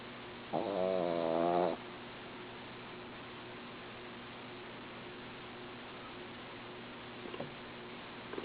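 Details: Sleeping female dog gives one droning, slightly quavering snore just over a second long, followed by steady low room hum and a few faint taps near the end.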